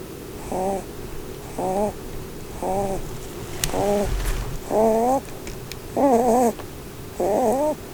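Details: Blueberry, a female pet Holland Lop rabbit, snores while asleep and dreaming under a Christmas tree indoors. Seven squeaky, wavering nasal whines, each about half a second long, come roughly once a second and grow slightly louder and more warbled toward the end.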